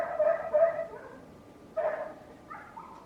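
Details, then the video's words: Neighbour's dog barking repeatedly, a pair of harmonic barks, a short pause, then another bark followed by two fainter yelps. "Neighbor's annoying dog noise"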